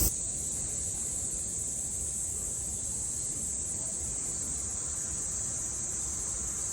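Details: Summer cicada chorus in Japan, 2022: a continuous high, hissing buzz with no breaks or pulses, steady in loudness, over soft low background rumble.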